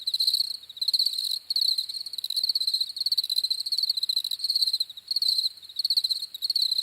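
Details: High, rhythmic cricket chirps in quick pulsed groups, each trill lasting under a second before a short break, repeated steadily, with no other animals or noise.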